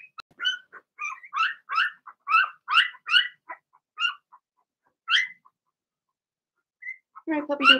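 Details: Cavalier King Charles Spaniel puppies, Blenheim, in a home puppy pen: a quick run of high, sharp yipping barks, several per second, then a pause before a lower, drawn-out whine at the end.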